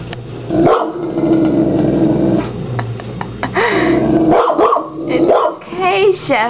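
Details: Pet French mastiff Chevy reacting to a huge hermit crab in a tank at home: a long low sustained growl, then sharp barks and a whiny yelp, while a person talks calmly over the noise.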